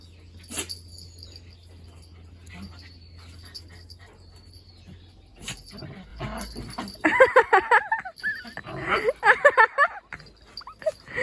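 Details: Two countryside mixed-breed dogs, rowdy Ongsim and copycat Gamja, playing in a rural setting; mostly quiet with faint rustling and a sharp knock early, then dense bursts of growly, whining yips in the last four seconds.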